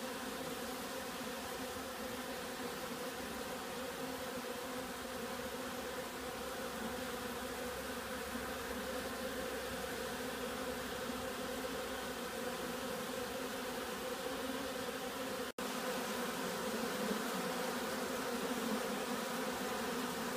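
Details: Honeybees in a state of excitement, possibly robbing: a dense, steady hum of many insects throughout, with a broad low drone and layered buzzing tones, unchanging in level apart from a brief dropout near the fifteen-second mark.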